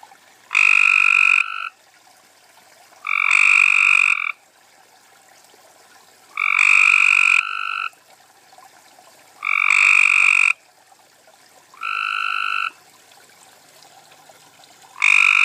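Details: Cope's gray treefrogs (Hyla chrysoscelis) calling at night from a small garden pond with tadpoles in Carroll County, Maryland, June 2013; loud harsh buzzy trills about one second long, repeated every two to three seconds, six bursts, quiet between.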